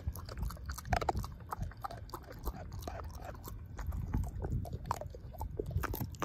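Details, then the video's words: Ozzie the dog chewing a pork steak and crushing the bone: dense, low, wet mastication with frequent sharp crunchy clicks throughout, steady and fairly quiet. "Dog Eating Pork Steak"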